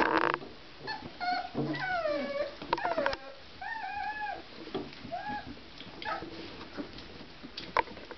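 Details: Litter of Basset Artésien Normand puppies at 24 days old, at play: short falling whines and squeaky yelps come in clusters, then fade into quieter shuffling and occasional faint squeaks.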